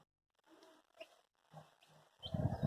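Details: Labrador Retriever puppy named Hash during its first bath, giving low, short moaning whines in two brief bursts, then a louder rough, throaty outburst at the end, with quiet gaps between.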